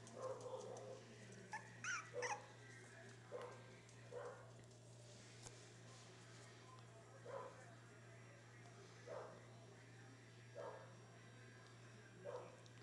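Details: Beagle and Welsh corgi cross puppies, several together, making faint high whimpers and yelps, a brief cluster at first, then single cries roughly every second and a half, over a constant low electrical hum with occasional speech.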